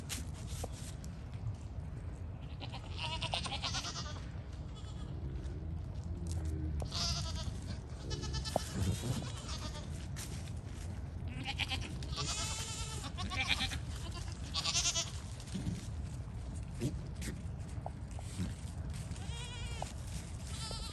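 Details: Registered Pygmy goats (Capra hircus) on a farm in Knoxville, Tennessee, USA bleat over and over in high, quavering cries against a steady low rumble.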